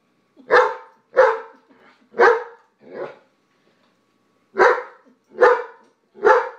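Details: Indoor food squabble between a White Shepherd and a Jack Russell, one bullying the other to hog the food: four quick barks, a pause of about a second and a half, then three more sharp barks.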